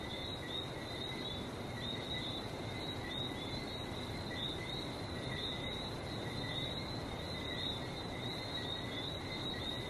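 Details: Frogs in Barbados calling as a dense, steady chorus of short high chirps, layered in two pitched bands and pulsing continuously, over a constant broad roar of sea surf.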